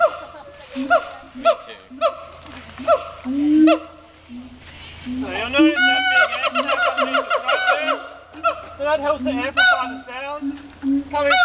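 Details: Two Siamangs (Symphalangus syndactylus) at Dubbo zoo, showing off, give loud harmonic hoots and rising, wavering shrieks in rapid, excited series, loud enough to carry through dense rainforest.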